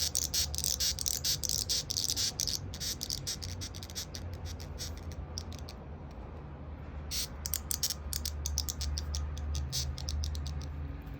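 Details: White-striped longhorn beetle giving a warning threat sound from the stridulating organ at its neck as a hand comes near, recorded 11 July 2021 at 21:23; harsh, irregular rasping squeaks in bursts, about 140 per minute, over a low steady hum.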